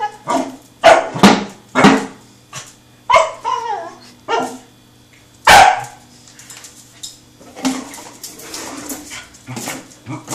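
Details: A young male Pembroke Welsh Corgi named Truffle, seven months old and friendly, barks in bursts while chasing a rolling tin can; loud clipped barks come in quick clusters, with a couple of whiny, wavering yips between them.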